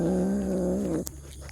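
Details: A cat voicing while eating, described as noisy because of a strong appetite; a steady low, tonal hum lasting about one second, then clicks of eating.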